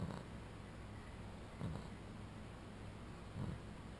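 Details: A male Boston Terrier asleep on a cooling bed snores softly, a low rumbling breath repeating about every two seconds.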